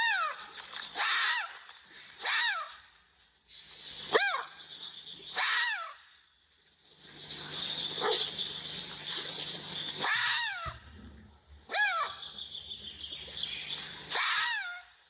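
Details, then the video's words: Fox in its natural habitat calling with high, sharply falling yelping barks. They come singly or in quick pairs roughly every one to two seconds over a steady hiss and faint background murmur. "Som da Raposa Latido"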